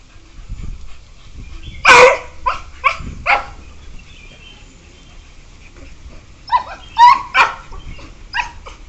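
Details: Playing beagles, one year four months old: a loud sharp bark, a few quick yelps, a quiet gap of several seconds, then another short cluster of high yelps.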